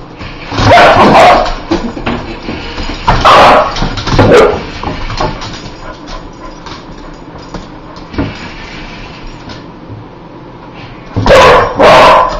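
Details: Dog that hates spiders barking in loud, harsh bursts: a pair near the start, another around three to four seconds, a short one near eight seconds, and a final double bark at the end, with low rumbling noise between.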